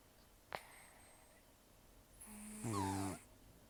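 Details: Old rescued cat Taro, taken in during October 2024, dozes with a single coarse, vibrating snore near the end, preceded by a quiet hissing breath and an isolated click.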